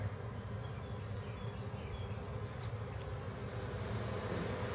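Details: Low, continuous droning of a large backyard honey bee swarm being captured and moved into a hive with the queen inside; the hum stays level throughout, and thin, high bird whistles sound faintly behind it.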